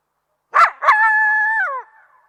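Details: Coyote giving two sharp yips followed by a steady, clear howl that holds level for nearly a second before sliding downward at the end; no other sounds.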